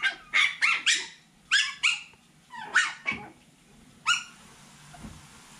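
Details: Poodle puppies at seven weeks old, lively and full of life; a quick string of high, sharp yips and squeaky barks, several in fast bursts, then a single yip after a short pause, indoors with little background noise.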